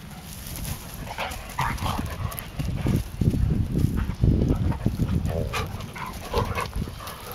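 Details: Two-month-old Kangal puppies (Anatolian Shepherd, karabash), eight weeks old, playing with poodles at StoneBridge Farm: brief yips and whimpers scattered over dense low thumping and scuffling from rough play.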